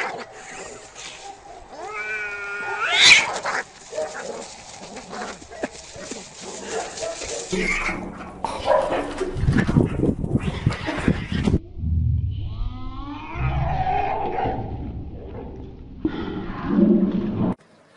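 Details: Cats fighting each other, caught on camera: a sharp rising harmonic yowl, then harsh hissing and scuffling thumps with brief voices, followed by more wavering, bending yowls and growling near the end.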